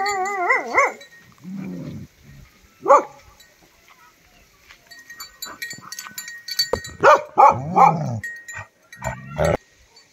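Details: Tibetan mastiffs (Bhote Kukur) named Love and Dorje, in Nepal, 22 November 2023: a wavering, whine-like tonal cry opens, followed by short low grunting and moaning sounds, interspersed with scattered clattering and knocking noises.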